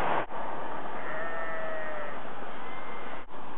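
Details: In the evening in Bø, Norway, a long-tailed Norwegian sheep gives a single faint, drawn-out, slightly wavering bleat-like call with a brief higher note near the end, half-buried under steady hiss and rustling.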